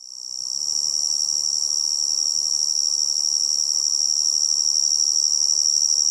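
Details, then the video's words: Tree cricket heard in a forest setting, giving an unbroken, high, steady ringing trill that swells in over the first second and then holds constant, over a soft low hiss of background noise. "Tree Cricket Sound"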